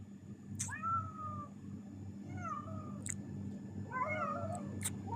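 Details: Three pet cats welcoming their owner home after his shift in Qatar, hungry and eating; three separate plaintive meows, each slightly falling in pitch, spaced about 1.5 seconds apart, with sharp clicks and a steady background hum.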